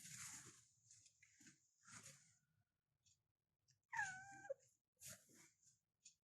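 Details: A domestic cat in a bedroom in the morning lets out a single loud, tonal meow that climbs and then holds level before fading, with soft rustling and shuffling before and after.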